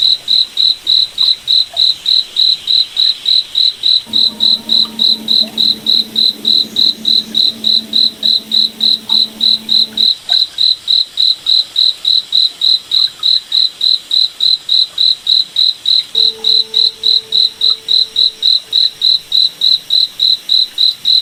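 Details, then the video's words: Night forest cricket giving a long run of bright, high-pitched chirps at a steady pace of about three and a half per second, with a faint low humming tone rising briefly in the middle and again near the end. "Cricket Night Forest Ambience"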